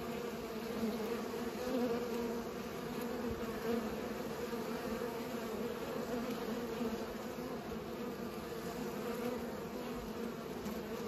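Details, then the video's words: Bees buzzing while pollinating, a dense, steady droning hum with layered low tones, several insects overlapping continuously with no pauses or other clear sounds. "Bees pollinate"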